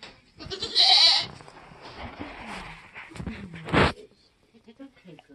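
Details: Nigerian Dwarf goat doe giving birth on a homestead in kidding season: a loud, harsh bleat near the start, a second brief bleat later, with a woman speaking quietly between them.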